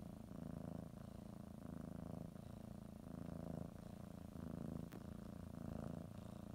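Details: Domestic cat purring while preparing for a morning nap, biting a blanket and kneading; steady low rumbling purr in alternating breaths, each phase lasting under a second, with a faint soft click near the end.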